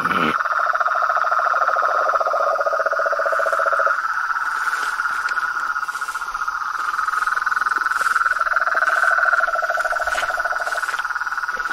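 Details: Frogs, toads and treefrogs calling in nature: a dense, unbroken high trilling chorus holds steady throughout, joined by a lower, rapidly pulsed rattle during the first four seconds and again near the end.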